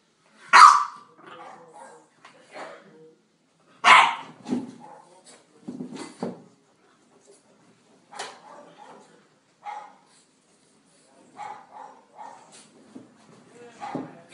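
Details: An English Bulldog at play lets out two strong, harsh barks a few seconds apart, then quieter throaty grumbles, huffs and short growly noises in an irregular, playful string.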